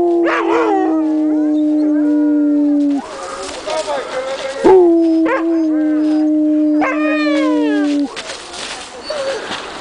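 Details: Afghan Hound at the Służewiec racetrack in Warsaw, Poland, 2009, howling when invited to 'sing': long, steady, drawn-out tones held for several seconds with rising wavering onsets. The howls break off briefly between phrases, with people's voices nearby.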